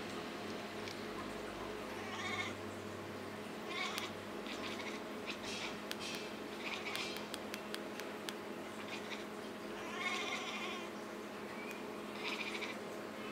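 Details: A domestic cat that has started to talk gives short nasal meows at about two, four and ten seconds over a steady background hum, with clicks and faint rustling between calls.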